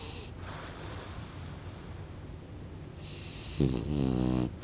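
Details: French Bulldog Kokubo drowsing until snoring starts: after quiet hissing, a single loud, low, vibrating snore rumbles for nearly a second near the end.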